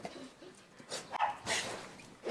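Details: Male golden retriever born in 2016, indoors at home, greeting its owner after hearing the owner's footsteps; two short, noisy, broadband bursts about half a second apart, heard faintly against a quiet room.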